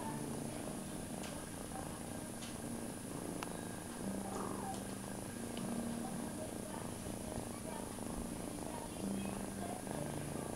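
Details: Foster kitten Feline purrs steadily while held in a person's arms indoors, licking their hands, with siblings in a cat bed and mother cat Ruby nearby; a continuous low rumble runs throughout, with faint clicks and soft background voices.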